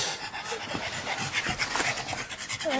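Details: Fred, a pet pug at a dog park among other dogs, panting in quick broadband breathy bursts, steady and rhythmic across the whole stretch, with faint speech and a brief voice near the end.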